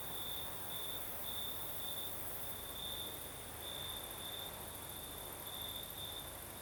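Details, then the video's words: Crickets sing through a southern Crimean night as a breeze blows, their shrill even trill pulsing in spaced bursts of about half a second above a wash of soft wind noise and distant high buzzing. "Сверчки поют"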